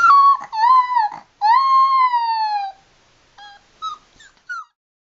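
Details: A playful 7-week-old Labrador Retriever puppy gives thin, high howls that slide downward, with short yips and whimpers between.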